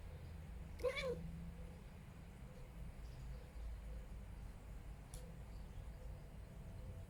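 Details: Domestic cat giving an odd vocalisation: a single brief, wavering meow-like cry just before the one-second mark, then low background rumble with a sharp click around five seconds.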